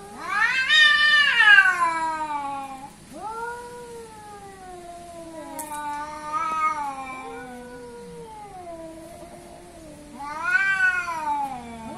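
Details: Two cats, billed as an Asian cat versus an African cat, square off in a fight: long drawn-out wailing yowls with rich harmonics, bending up and down in pitch, loudest at the start and again near the end, quieter moaning between.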